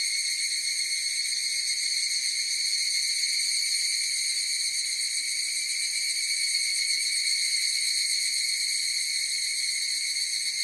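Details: Higurashi cicada chorus holding an unbroken, bright, ringing drone of several stacked high tones, finely trembling in intensity, steady for the whole stretch.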